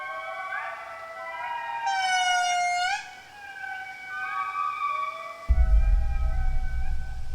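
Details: A family group of indri, the largest lemurs, gives its morning territorial chorus, audible over 2 km away and warning other indri to keep their distance: overlapping, siren-like voices with long tones sliding up and down.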